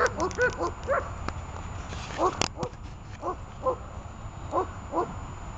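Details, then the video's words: Runa, a dog practising hold-and-bark guard work, lets out short, irregular barks, a quick cluster at first, then single barks about every half second, over a low background hum and a sharp knock. "Руна . удержание и облаивание (обучение)"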